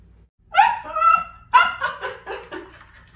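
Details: Dachshund barking as it reacts to a puppy stuck between air conditioners. It gives a quick run of sharp, yelping barks, about six in three seconds, each with a falling, ringing tone. Faint low background hum.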